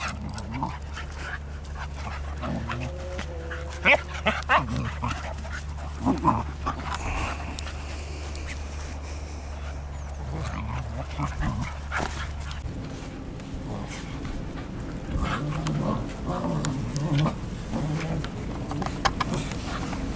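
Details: Two English Cocker Spaniels play, August 2014, with short whimpers and soft yelps among scuffling noises and a steady low hum.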